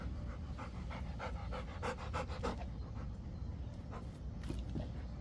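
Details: Rapid, rasping breaths from a Rottweiler at play catching a ball, about three huffs a second and irregularly spaced, over a constant low-pitched background hum.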